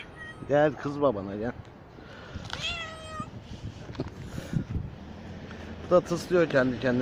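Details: Newly delivered mother cat living on the street, trailed outdoors as her kittens stay hidden: short, repeated harmonic meows, one rising thin cry mid-way, then a final cluster of meows, with human speech and faint urban noise.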